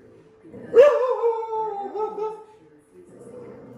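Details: Dog reacting to a painting of a dog on TV gives one drawn-out, tonal howl-like bark that starts sharply and slides downward over about a second and a half, then quiet background murmur.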